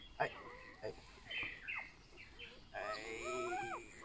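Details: Whining from a newborn golden retriever puppy in a litter of eight, raised at a rural home. Scattered clicks and a brief voice come first, then a drawn-out, wavering, tonal cry that slides up and down over about a second.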